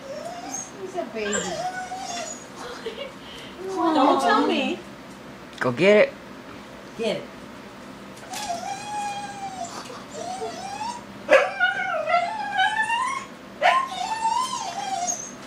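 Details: Pet dog crying while freaking out over a balloon indoors: high, wavering whines that rise and fall, sometimes held, sometimes broken into short yelps, recurring throughout with brief gaps and occasional human voices.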